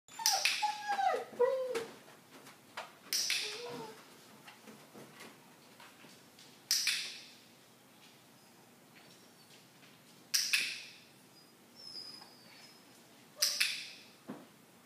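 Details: Leroy, a French Bulldog indoors, gives short wavering whines that slide downward in two bursts early on. Sharp knocks and clatters break in every few seconds, with a faint high chirping in the background.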